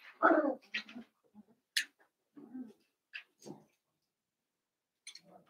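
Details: Blenheim Cavalier King Charles Spaniel puppies, one of a litter of five born around New Year's to Paris and Spike, in an indoor puppy pen: short whimpers and yips, a few sharp high squeaks, separated by quiet gaps.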